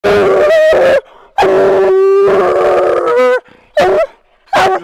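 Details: A Bluetick Coonhound house dog from a coon hunting setting gives loud, drawn-out, tonal howls that waver slightly in pitch, followed by short yelping bursts. A man praises it afterwards.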